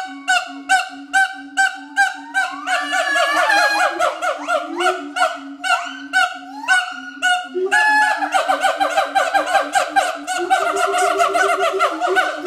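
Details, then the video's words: Pair of adult siamang gibbons at Schmutzer Primate Center in a territorial duet: spaced barks speed up into a dense, overlapping chorus of barks and rising wails, carried on a continuous deep booming throughout. "Duet Song of Siamang Gibbons (Symphalangus syndactylus)"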